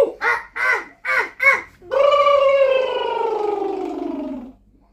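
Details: Chimpanzee sitting in a sink indoors gives four short, rapid, pulsed cries, then one long, tonal, wailing call that slides steadily downward in pitch for over two seconds before fading.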